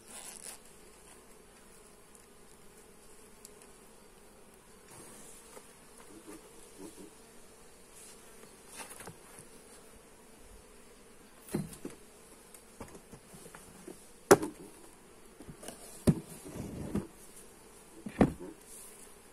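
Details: Honey bees at an open hive under inspection, recorded on a Xiaomi Redmi Note 8: a low steady hum, quiet at first, then increasingly broken by bursts of clicks, knocks and scraping from handling.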